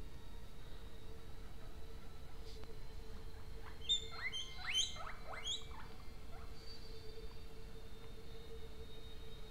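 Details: A guinea pig gives a brief burst of high, chirpy squeaks over a steady electrical hum.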